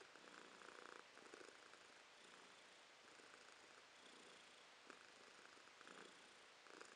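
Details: Pet cat Romashka purrs contentedly, January 2023; a continuous throaty rumble rising and falling with each breath about once per second, quiet indoor background.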